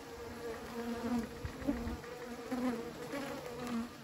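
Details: Bees at a beekeeping site give a low, even buzzing drone, with short brighter whines as single insects fly near.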